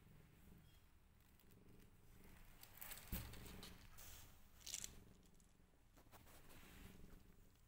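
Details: Purring from a rescued family, a mother cat with five kittens; deep, even purr in rhythmic pulses, rising and easing with each breath, with a brief knock near the middle and light scratchy rustles.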